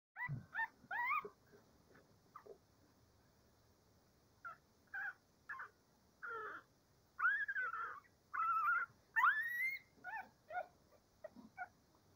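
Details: Cavalier King Charles Spaniel puppies before breakfast, heard as scattered short, fairly quiet whimpers and yelps. Some rise in pitch, some are rising whines. Quiet pauses separate the bursts.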